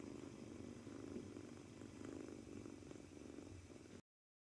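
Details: Nervous two-month-old male British Shorthair kitten purring and kneading on arrival day at its new home; a soft pulsing low rumble lasting four seconds, then silence.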